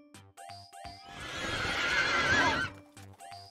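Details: Horse neighing: a loud, wavering, breathy whinny of about one and a half seconds that rises and falls in pitch. Steady musical tones play before and after it.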